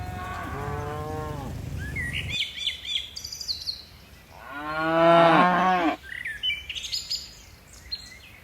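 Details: Cattle in a tame herd bounding down a mountain hillside: a moo opens the recording, and a louder, fuller moo swells near the middle, with chirping birds scattered between and after the calls.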